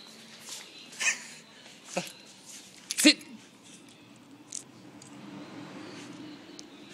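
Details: Shiba Inu dog from Japan, uttering short, sharp yelping barks roughly once a second, the loudest near the middle, then trailing into quieter whimpers against a soft hiss.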